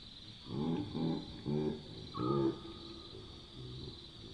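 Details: Chacma baboons grunting at night in the African bush: four deep, throaty grunts in quick succession, about half a second apart, then quieter ones trailing off. A steady high insect drone continues in the background.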